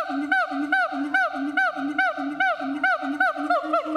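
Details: Captive siamang at Chiba Zoological Park, Japan, calling in a steady series of loud, downward-sliding whoops about two per second over a low, sustained droning hum.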